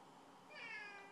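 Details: House cat demanding to go outside gives a short, bright harmonic meow midway, steady and slightly falling, while a person indoors answers with repeated "no".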